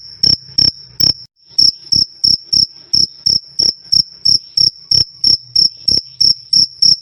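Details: Cricket of the kinds named jliteng (black), alas, kalung and cliring, loud clear chirping recorded as a master track for training songbirds; sharp high chirps repeated about three times a second with one brief pause.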